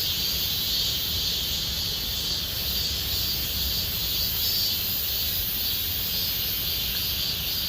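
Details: Summer cicada chorus at Gomsol Nuri Forest in the Sihwa area, a continuous shrill hiss-like drone at constant loudness, no pauses, soft low background hum underneath.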